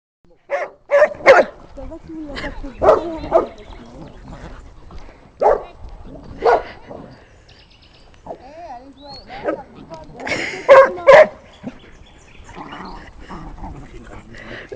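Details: Old female golden retriever barking while resting after training, guarding a pebble she is chewing as a younger Bernese Mountain Dog tries to take it; short harmonic barks in irregular bursts, mixed with human speech.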